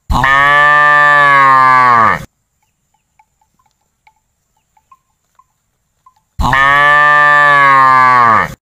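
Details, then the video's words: Village cattle wandering about. Two loud, long, rich harmonic moos of about two seconds each, sliding slightly down at the end, are separated by four seconds of near silence broken only by faint soft clicks. "lembu sapi moo"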